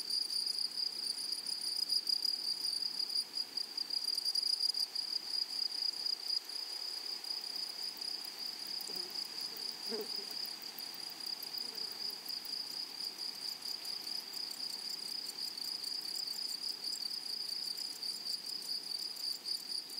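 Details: Continuous high, ringing insect buzz from grasshoppers in a flowery prairie meadow. It holds one even pitch for the full twenty seconds, with a brief soft lower thump near the middle.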